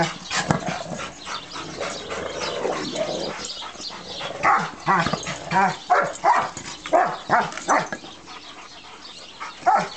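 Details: Three-year-old male Rottweiler, 120 pounds, playing with his toy brick; a quieter, growly start gives way to a run of evenly spaced sharp barks about twice a second.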